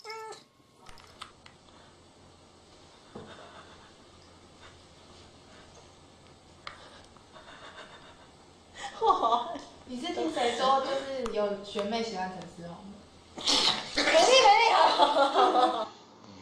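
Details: Jealous pet cats: after about nine seconds of near quiet, drawn-out wavering meows rise and fall in two loud bursts, with a woman talking and exclaiming over them.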